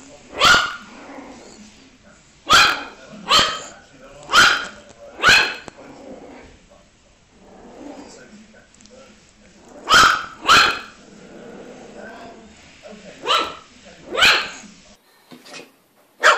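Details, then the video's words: Puppy barking: sharp, high single barks and pairs scattered irregularly, with quieter murmuring voices and low background sounds between the barks. "Puppies Barking Compilation - Cute Dog Barking Videos"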